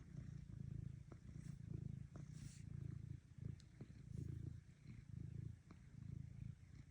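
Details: A cat's deep, vibrating purr in rhythmic bursts, each swell lasting under a second, punctuated by a few sharp clicks and a brief faint higher sound.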